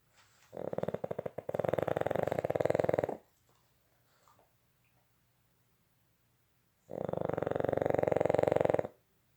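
A Boston Terrier snores in long, rattling, buzzy breaths with quiet pauses between them.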